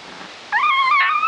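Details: Fox red Labrador Retriever puppies playing in the yard; one high, clear whine rises sharply, then wavers and holds with a bright, tonal, slightly warbling quality for under a second.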